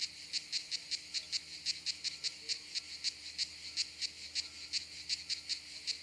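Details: Kraakcicade at a campsite in southern France in high summer, a common southern European species; sharp separate clicking pulses, about three to four per second, somewhat irregular, over a faint steady background hum.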